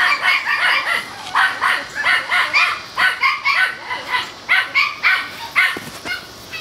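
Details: Four male Toy Schnauzer pups aged seven weeks playing together outdoors; continuous excited yapping, high and rapid, about two barks a second, fading out at the end.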